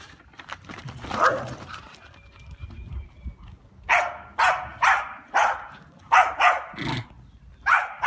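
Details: Dog barking while playing, a run of sharp loud barks repeated in quick bursts, roughly one every half second, after a quieter opening with scuffling.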